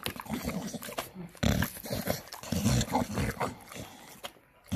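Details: A Staffy makes food noises while eating, with uneven snorting, chomping and slurping bursts, some louder low grunts in the middle, and a brief quiet pause before a final burst.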